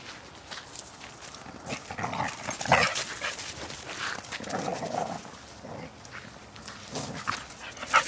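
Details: Two pet dogs wrestling and play-fighting outdoors on a walk, with rough broadband growls and snarls in irregular bursts, some louder yelping peaks near three and eight seconds, and scuffling throughout.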